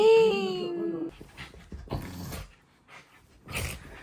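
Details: Puppy indoors giving a high, tonal whimper that slides downward over about a second, followed by soft shuffling, clicks and a short burst of noise near the end.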